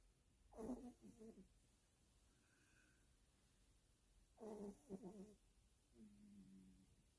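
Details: Yorkshire Terrier asleep and snoring indoors: two raspy, rumbling breaths about four seconds apart, with a soft tonal hum near the end and quiet room hiss between.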